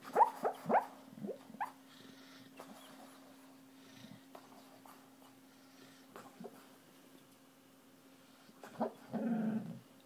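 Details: Dreaming dog asleep, a quick cluster of faint whimpering yips at the start, then near silence with a low hum, and a final breathy huffing murmur near the end.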